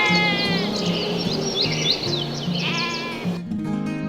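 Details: Domestic goat bleating over steady background music: wavering, harmonic-rich cries near the start and again around the third second, then a cut into more music.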